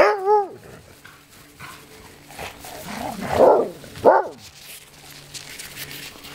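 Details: Sled dogs, also used for skijoring, playing together in a free-run kennel in Alaska: a short rising-falling howl-like yelp opens, then scattered rough barks and grunts among background rustling and scuffling.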